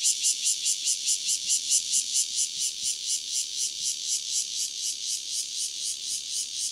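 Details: A single cicada, Cryptotympana takasagona, near Dona village, KaoHsiung County: loud, shrill high-pitched buzzing pulsed about four times per second in an even, steady rhythm, with no other clear sounds.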